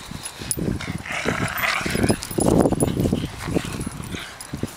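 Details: A Shiba Inu at Kenwood House, 23 October 2011, with new toys, gives short, irregular yips and whimpery grumbles in quick, uneven bursts.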